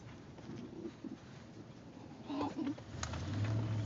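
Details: A male Basenji in a moving car gives soft, wavering yodel-like whines over the engine rumble, vocalising to signal he wants a potty break; Basenji.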